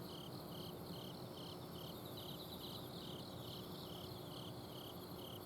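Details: Autumn insects singing at night in a home garden in Azumino, Japan; one clear caller gives crisp short chirps at a steady pace of roughly two or three per second, with softer trills and a high buzz behind, plus a steady air-conditioner outdoor-unit drone.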